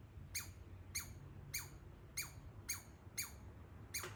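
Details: A baby squirrel living in a backyard walnut tree gives sharp, descending "laser" chirps, each a quick downward sweep, repeated about every half second.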